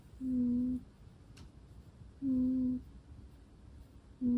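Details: Asleep indoors, a Russian Blue cat gives steady, humming snore tones, each about half a second long and repeated every two seconds at an even, low pitch.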